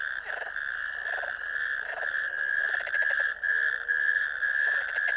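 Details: Ditch chorus of natterjack toads recorded at a wetland camera on 1 May 2024: a dense, high, rattling trill with several overlapping callers adding short pulsed bursts at intervals of about one second.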